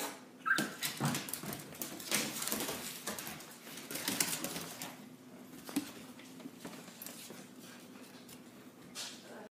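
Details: Two dogs playing, a Miniature Schnauzer and a pointer/terrier/lab mix: soft breathy grunts and scuffling bursts throughout, a brief high whine near the start, over a steady low hum.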